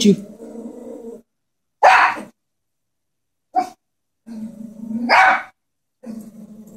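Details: A Chihuahua frightened by a stuffed animal horse alternates rumbling growls lasting about a second with two sharp, loud barks, separated by silences.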